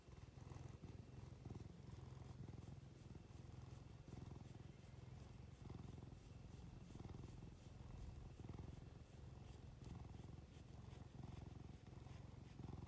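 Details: Pet cat purring as it is petted, watery-eyed; deep continuous throaty rumble pulsing in rhythmic inhale-exhale cycles under close, quiet indoor recording with faint stroking rustle.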